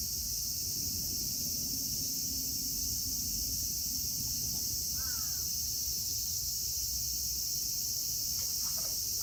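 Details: Cicadas of Kitatama District, Tokyo, Japan, among them Platypleura kaempferi, Graptopsaltria nigrofuscata and Hyalessa maculaticollis, drone steadily and high without a break; a bird calls once with a harsh descending note midway, and faint clicks come near the end.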